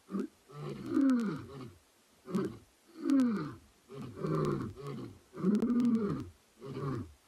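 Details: Two male lions vocalising in the dark at andBeyond Ngala Private Game Reserve during a sunset drive on 09 September 2021. Deep, moaning roars swell and then break into a series of heavy grunting pulses, about seven bursts, with quiet background.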